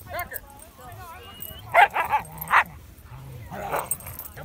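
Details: Huskies and Malamutes meeting in the snow: a wavering, rising moan-like vocal opens, then a burst of three or four sharp, loud barks around the middle, with a softer bark cluster near the end and human voices in the background.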